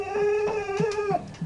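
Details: Domestic dog indoors, a pet being asked about its bones, giving a long steady whine held at one pitch for over a second, followed by short broken whimpers; a low indoor hum underneath.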